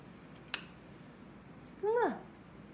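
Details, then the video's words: Maltese greeting its owner just home from work, in a small room: a short click, then one quick whining cry that swoops up and falls away, lasting under half a second. "퇴근한 언니랑 인사하는 말티즈"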